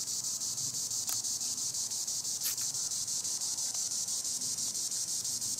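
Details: High in the treetops a green annual cicada (Tibicen linnei) keeps up an unbroken shrill buzz with fast regular pulses; two brief sharp ticks stand out.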